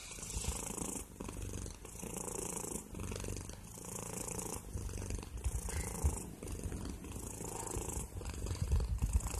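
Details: Cat purring right into the microphone, a heavy low rumble pulsing with its breathing, slightly louder toward the end with a few soft rustles.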